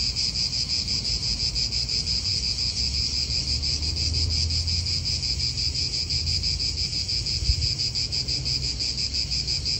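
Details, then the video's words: Pulsing high-pitched cicada chorus in an Italian park, even rhythmic throbbing sustained the whole time, with a soft wind and traffic rumble underneath and one brief knock. "italian park ASMR Cicadas wind real atmosphere in an Italian park birds"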